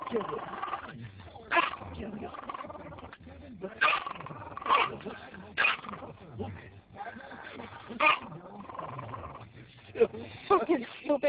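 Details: A pet Yorkshire terrier barks at a gas station pump while wagging its tail, captured on a mobile phone. Short yappy barks come irregularly, some clustered, mixed with a man's swearing and chatter and a low background hum.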